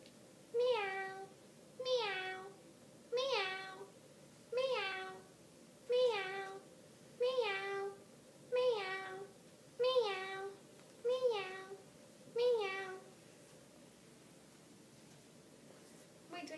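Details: Indoor cat meows: ten short, even meows, each rising then falling, repeated about every 1.3 seconds over a steady low hum, then quiet for the last few seconds.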